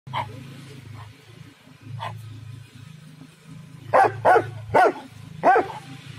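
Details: A dog barking loudly in a garden: a few faint, scattered barks at first, then four loud, sharp barks in quick succession near the end, with a steady low hum underneath throughout.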